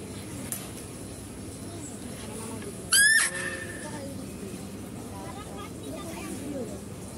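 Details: At a zoo, a female deer gives one sharp, piercing squeal lasting under half a second while a male deer is being fed; quiet chatter and low rumble around it.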